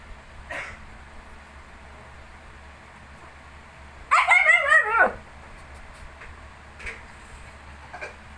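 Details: A Shih Tzu alongside its 19-day-old puppies; a faint yip early on, then one strained, quavering whimper lasting about a second that slides downward at the end, with a couple of faint clicks afterward.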